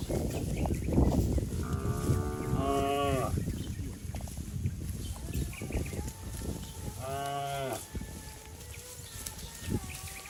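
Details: A herd of cattle runs down a grassy green hill in a rural village. Two main moos come five seconds apart, each harmonic and slightly falling, with fainter lowing and a low, rumbling background.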